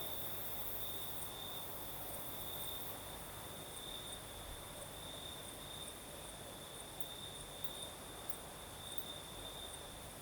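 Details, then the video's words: Crickets calling through the night in Crimea's south, with a night breeze: an even, sustained high trill with slight pulsing swells, and faint very high ticks in the background. "Сверчки поют"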